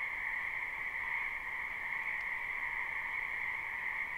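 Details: Many frogs croaking in a spring wetland, recorded live without looping: a dense, unbroken chorus of high trilling calls that merge into a steady ringing drone, with no pauses and no other clear sounds.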